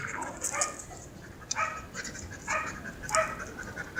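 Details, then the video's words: Mero, a Siberian Husky strolling to unwind with its owner, lets out four separate short barks roughly a second apart, each a brief harsh burst, with faint background noise between them. "ไซบีเรียน ฮัสกี้ นู๋น้อยเมโร่ กับ น.ศ.สาว เจ้าของ"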